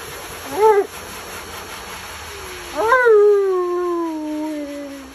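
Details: Tonka, an Alaskan Malamute who hates baths, complaining during his bath: a short wavering yowl, then a longer talky moan that rises and slowly slides downward over two seconds.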